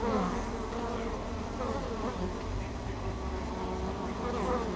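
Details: Close GoPro recording at the doorway of the hive called Ester, bees flying in carrying pollen on their hind legs; a continuous low drone of many wings with gliding, rising and falling buzz tones.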